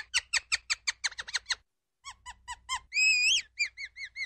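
A ground squirrel gives a fast series of sharp, high chirps, then a longer wavering whistle.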